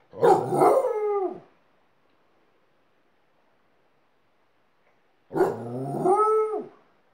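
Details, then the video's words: Alaskan Malamute teaching a second dog to howl; two tonal howls about a second long, each with stacked harmonics that drift down at the end, separated by a four-second silence. "Alaskan Malamute's Howling School"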